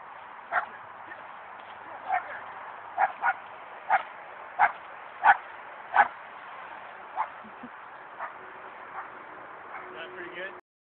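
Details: Dog barking while climbing a tree in search of squirrels: a string of sharp barks roughly every half second to second, loudest in the middle, with a few softer yips near the end.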